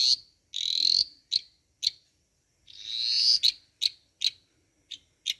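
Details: A dwarf tree frog, about 25 mm long but audible from 100 m away, croaks loudly with high, buzzy rasping notes followed by short sharp pips.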